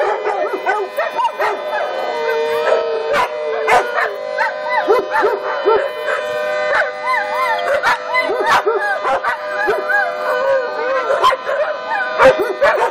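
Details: Dogs at a Lucas County daycare join the first-Friday emergency siren test with rising and falling looping howls. Sharp barks come in at irregular intervals throughout.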